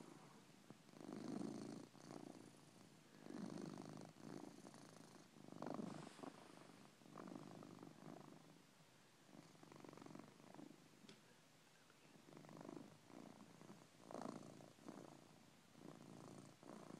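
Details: Coco the house cat, fast asleep, gives loud rasping snores in a steady rhythm, each rough breath lasting about a second, with about 27 per minute.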